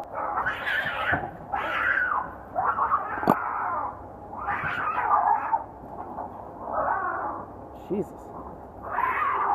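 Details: Two male cats fighting on a wall near the Acropolis in Athens, Greece: long drawn-out wailing yowls rising and falling in pitch, about six howls in ten seconds, with men talking nearby.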